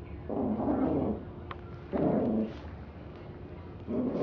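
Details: Roses, a little dog, savaging a teddy bear, growling in three deep, rasping bursts, each under a second long and spaced about a second and a half apart, with quiet gaps between.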